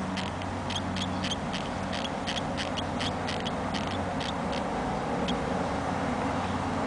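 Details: Baby hamsters, two weeks and three days old, squeaking softly: a fast series of short, high, clicky squeaks, several per second, fading out midway, over a steady low electrical hum.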